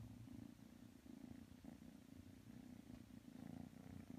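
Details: Close, rumbling purr of kitten Matsumoto snuggled against Tanka the pit bull, rising and falling with each breath in a steady rhythm.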